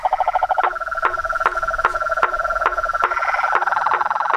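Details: Chorus of frogs, toads and treefrogs at a pond at nightfall, steady clicking calls every half second layered over a continuous buzzing trill and chattering notes.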